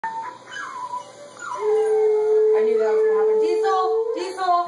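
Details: Dogs howling, a Border Collie puppy with an adult Border Collie and an Alaskan Malamute, recorded 3-15-13 while howling and playing; wavering calls give way to a long, steady, level howl held about two seconds, with a person talking.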